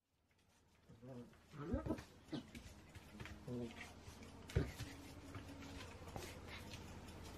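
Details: Two Shetland Sheepdogs, Rhea and Sammy, playing together on 28 January 2016; several short throaty harmonic bursts across the middle seconds, then quieter scattered sounds over a steady low hum indoors.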